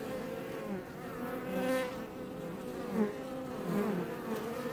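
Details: Close-up buzzing of Iberian honey bees outside their Langstroth hive west of Roquetes, south Tarragona; continuous hum with rising and falling whines as bees pass the microphone, a brief louder swell midway.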